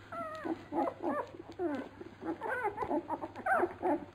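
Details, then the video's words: Labrador Retriever puppies at feeding time: a rapid jumble of high squeaky whines and yips from several pups, overlapping and rising and falling, with low background hum. "Fütterung bei den Labrador Piranha Welpen"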